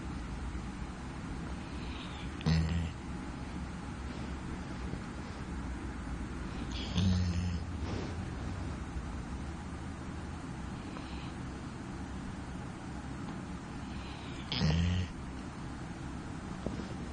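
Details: A female Labrador Retriever, fast asleep, snores loudly as she always does, with a deep, low rumble and occasional louder snorting breaths.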